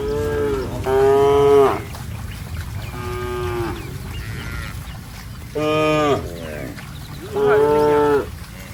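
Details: Several moos from cattle running in mud, four calls spread over about nine seconds, some loud and bright, others softer and farther off, each holding a steady harmonic tone before dropping away.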